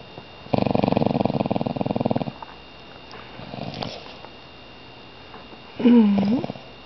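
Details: A pet dog indoors, awake and growling before falling asleep: a low, rough, pulsed growl runs for about two seconds, then quiet, then a short whining tone that bends down in pitch near the end.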